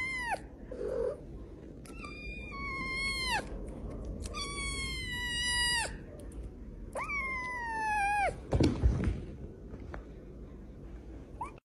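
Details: Domestic cat meowing indoors: four drawn-out, nasal meows, each about a second long and gliding slightly downward, spaced a second or two apart, with a brief thump and rustle near the end.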